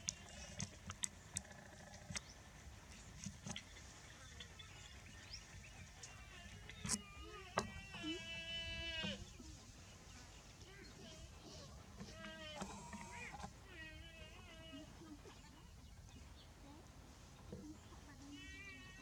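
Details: A small water buffalo calf with tiny horns, in a green field, gives high, wavering bleats over steady outdoor noise, perhaps calling for its mother or expressing contentment.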